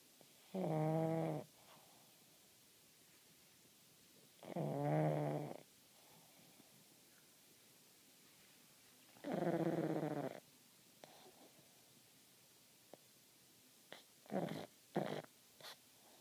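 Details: Sleeping pug snoring with its eyes open: three long, harmonic-rich rasping snores about every four seconds, then a few short snorts near the end, in an otherwise quiet room.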